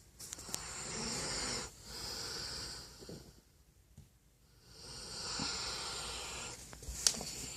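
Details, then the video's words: Zues, a sleeping dog, snoring: raspy, wheezy breaths rising and falling in slow cycles, two long hissing snores separated by a quiet gap, ending with a short sharp click. "Dog snoring"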